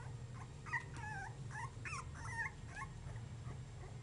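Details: Basenji puppies 3½ weeks old, recorded in the dark at first, give short, thin, quavering whimpers and squeaks that bend up and down, several in quick succession, over a low steady hum.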